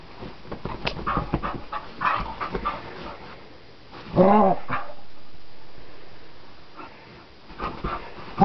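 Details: ['Wild dog being teased by a person on a flower bed: soft panting and snuffling, then one loud harmonic bark-yelp at midpoint followed by quiet breathing and a final sharp sound.']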